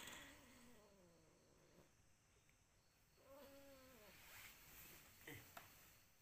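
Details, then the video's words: ['A cat meowing: two drawn-out, tonal meows with rich harmonics, the first slightly falling and the second level, each lasting about a second, with a faint rustle and short clicks near the end.'] "Kucing lagi meong meong"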